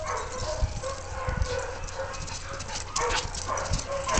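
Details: Playing Siberian Huskies, the five dogs Zia, Zorra, Luna, Riggo and Olive, trade brief whining, talkative tones and yips in rough-and-tumble play, over steady scuffling and low thumps.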